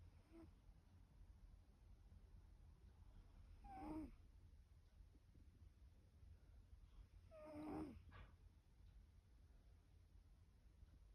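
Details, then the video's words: Sleeping cat Pip snores, with two slow raspy breaths about four seconds apart, each rising gently and then falling away against faint low room hum. "Pip snoring"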